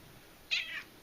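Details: Domestic cat, a female pet, giving a short high meow of about a third of a second indoors, with a woman speaking affectionately to her just before and after.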